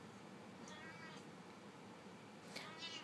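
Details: A Siamese cat at the door gives a few drawn-out, wavering meows, insisting on being let outside into the sun; Siamese cat.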